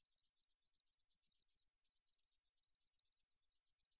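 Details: Steady high buzzing song of the meadow katydid 등줄어리쌕쌔기, recorded in 2020 by the National Institute of Biological Resources: crisp pulses repeated about seven times each second, even and continuous, in a quiet setting.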